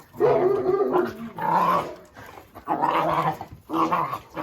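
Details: Oscar, a Jack Russell Terrier, gives four strained vocal bursts, each a rough growl carrying a whiny rising tone, separated by short gaps, with faint music beneath.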